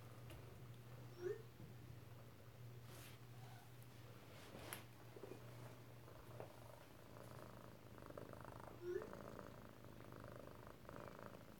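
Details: Hank, an Alabama kitten, purring while lying on his mother indoors on 7 February 2018, a low continuous rumble with two short high squeaks and light rustling, a person talking softly nearby.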